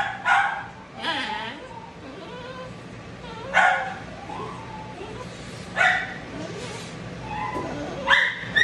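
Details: Matted Shih Tzu that bites from pain, protesting while being dried; spaced sharp barks about every two seconds, with rising and falling whines and whimpers between them over a constant low dryer hum.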